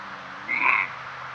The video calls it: Deer barks, bleats, wheezes, snorts, grunts and more!